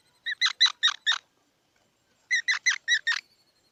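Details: Two rapid runs of five sharp, squeaky notes each, separated by about a second of silence, in a squirrel's repeated chattering call.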